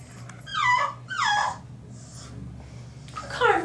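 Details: A three-month-old French Bulldog puppy fighting the bath tub gives three drawn-out whining yelps, each sliding downward in pitch, with pauses between and a low steady hum behind.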